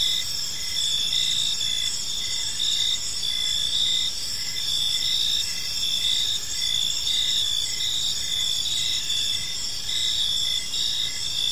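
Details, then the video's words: Crickets fill a peaceful park at evening with a steady high-pitched chorus, evenly pulsed chirps and a sustained trill, set against faint low ambient noise. "Park Serenade: Cricket Sounds in a Peaceful Park | Evening Ambience"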